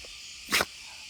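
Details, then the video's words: Single short, explosive sneeze from Gonta, a beagle-like pet dog on Amami Oshima, recorded as the weather turns cold; one abrupt burst lasting about a tenth of a second over a constant hiss. "ゴン太のくしゃみ / Gonta sneeze"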